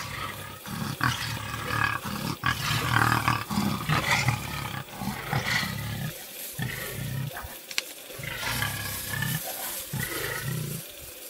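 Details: Lioness struggling to shield her cubs from nomadic male lions: continuous harsh snarls and rasping growls in irregular, rapid bursts, moderately loud, with short pauses between outbursts.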